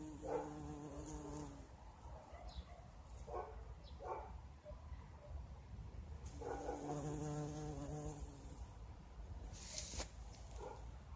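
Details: Bumblebee working flowering currant bushes in spring: low droning buzz bursts that start and stop as it flies between blossoms, with a long steady hum near the middle and faint background clicks.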